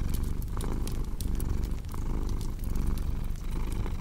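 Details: Domestic cat purring, a steady low rumble that swells and fades with each breath about forty times a minute, layered with sharp crackling and popping from a fireplace.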